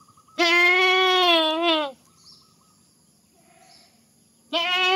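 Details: Goat giving a long, drawn-out, wavering bleat of about one and a half seconds, followed by quiet with faint distant sounds, then the start of another loud bleat at the end; presented as funny goat sounds.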